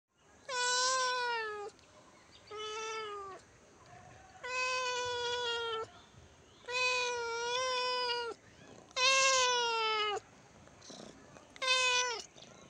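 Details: {'caption': 'Cat meowing: six clear, drawn-out meows, each about a second long with rich harmonics, rising slightly then falling, spaced one to two seconds apart, indoors and otherwise quiet.'}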